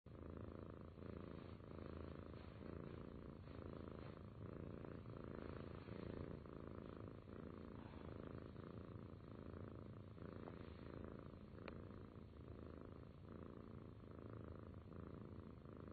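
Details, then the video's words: Cat purring steadily: a low, rumbling vibration pulsing in a regular rhythm of roughly two breaths per second, continuous throughout, with a faint brief click near the end. "Cat Purr Sound Effect"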